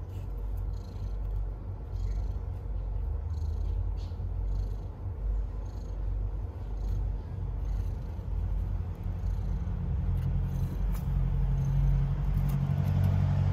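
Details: Purring stray cat in the middle of giving birth to kittens, a dense low vibrating drone that grows slightly louder toward the end, with light scratchy rustles overhead.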